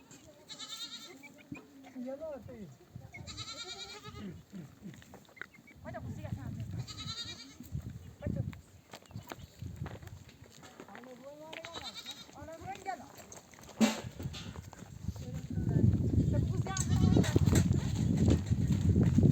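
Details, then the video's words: A nomadic shepherd's flock returns from desert pasture while mother sheep bleat for their babies to breastfeed: several shaky, quavering bleats early on, then louder rumbling movement and human voices dominate the end. "The sound of mother sheep returning from the pasture to breastfeed her babies"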